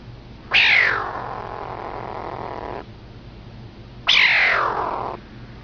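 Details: Kitten making funny sounds: two loud, harsh calls, each starting high and sliding down into a long rasping tail, the first lasting about two seconds, the second about one second, with a quiet low hum between them.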